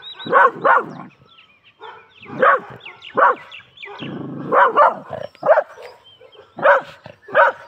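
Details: An aggressive pet Labrador Retriever barks sharply again and again in irregular bursts, some barks doubled, with a brief low growl around four seconds.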